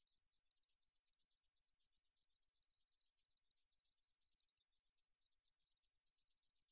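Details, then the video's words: Meadow katydid song from a National Institute of Biological Resources recording, 2020: a continuous very high, sizzling buzz made of rapid even pulses, steady throughout with no other sounds. "등줄어리쌕쌔기, 여러번 듣기, 곤충소리"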